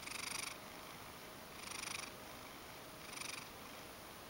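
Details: Mojio, a pet Ragdoll cat, purrs as it comes over wanting to be stroked. Three louder breathy purr swells arrive about every one and a half seconds over a soft, steady rumble.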